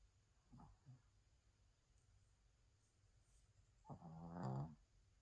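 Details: Snoring Spitz indoors: a couple of faint short snuffles, then one louder rattling, buzzy inhaled snore, against a low steady room hum.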